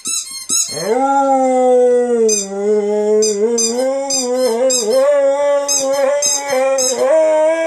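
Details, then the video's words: Rescue Saluki x Greyhound named Zero howling along with a squeaky ball. After a few opening squeaks, he gives one long, sustained, slightly wavering howl, with rapid toy squeaks pulsing above it throughout. "Zero The Singing Saluki"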